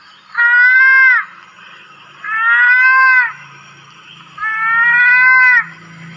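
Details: Three nasal, bleat-like calls from a lesser mouse-deer (kancil) in the wild, each held about a second with a gently arched pitch, separated by pauses with a low background drone.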